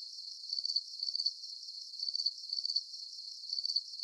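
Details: Crickets at night under a full moon, a brief stretch of high trilled chirping with bursts about every half second, slightly uneven.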